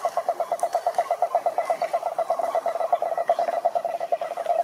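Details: Toad croaking in a fast, even series of short mid-pitched pulses, nearly three per second, continuing without a break, with a faint higher chorus behind.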